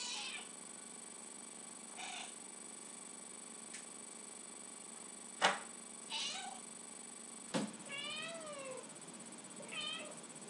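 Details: Lucy the house cat begging for tuna: soft short meows, then a clear bent meow and a final brief one, with a couple of sharp knocks and a person asking whether she wants tuna.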